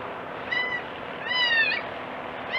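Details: Young goat crying: a short flat high bleat, then a longer wavering one that dips and rises, and the start of a third, all over steady background noise.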